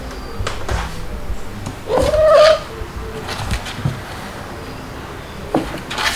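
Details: Stuart, a white male kitten two months old, filmed in July 2022 while nursed by two mother cats, gives one short tonal cry with a slight rise and clear harmonics, among indoor handling and rustling noises.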